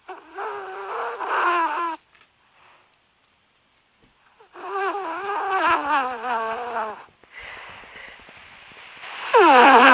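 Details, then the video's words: Pet dog dreaming indoors, giving wavering whimpers in two long bouts with a silent gap, then a sharp, high, rising cry at the end. "Dogs that make noises when they sleep."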